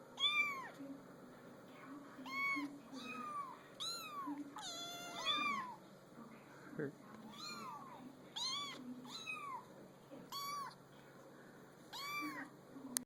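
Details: Several kittens placed on a small pool table mew repeatedly, high arched squeaky meows coming every second or so, some overlapping, with a soft thump midway and steady low room hum.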